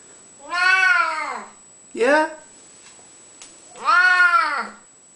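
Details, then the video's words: A talking male house cat, unwell, answers a person's questions about food indoors with three meows: a long arched one, a short clipped chirp, then another long rising-falling meow after a pause. "The Talking Cat"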